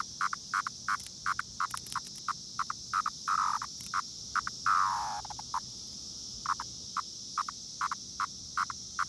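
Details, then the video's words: Brood X periodical cicadas near Princeton Junction, New Jersey: a steady high shrill drone runs throughout, over short rapid pulses and one longer call that falls in pitch midway. "Brood X Cicada Sound"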